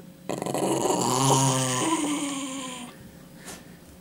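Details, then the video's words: Indoors, a dog that won't give back a chicken bone lets out one loud, sustained, rumbling growl lasting about two and a half seconds, then falls quiet. "Собака не хочет отдавать косточку - The dog won't give back a chicken bone"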